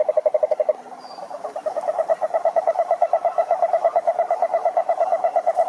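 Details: Brazilian Atlantic Forest lake with wild cururu toads (Rhinella marina): a loud, fast, regularly pulsed low trill, briefly pausing after a first burst, then running on continuously with other toads trilling beneath.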